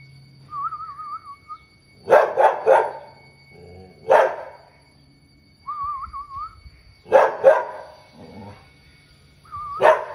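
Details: White female Labrador Retriever named Dusky in dramatic back-and-forth banter with her owner indoors; wavering whistled moans alternate with bursts of two to three harsh barks, repeated several times over ten seconds.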